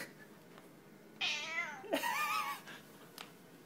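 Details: Domestic cat meowing indoors: two drawn-out harmonic meows, the first wavering and falling, the second rising then levelling, separated by a short sharp click, over low room hum.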